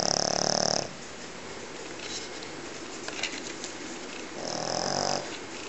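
A sleeping Pekingese gives loud, rough, rattling snores, each drawn breath lasting under a second. A quiet stretch of room noise separates the two snores.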